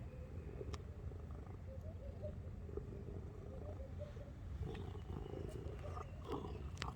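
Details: A cat purring: a quiet, steady low rumble throughout, with faint scattered clicks and rustles above it.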